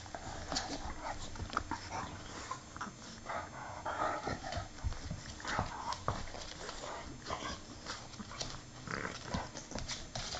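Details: Two English Bulldogs playing together: steady rough snorting, grunting and scuffling with short low growls and breathy bursts throughout, no pauses.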